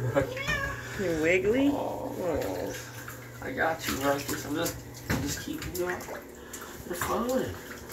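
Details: Domestic longhair cat Ruckus, a female, getting her first bath ever, an oatmeal bath for itchy skin and dandruff, indoors in a bathtub. She gives several drawn-out, wavering meows that rise and fall, under a person's soothing talk and splashing water.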